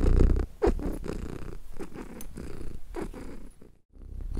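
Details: A contented cat purrs in low, rough pulses, the rumble fading to a short silent gap before resuming strongly at the end.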